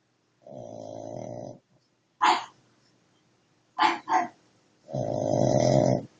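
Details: Dog snoring heavily: two long, rough, rumbling inhaled snores over a second each, separated by short snorting breaths, in a quiet indoor setting.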